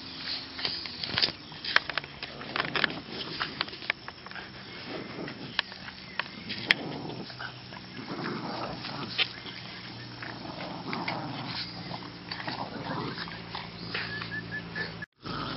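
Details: Two Boston Terriers playing tug of war, June 2013, growl and grumble steadily, with snorts and sharp yips breaking through.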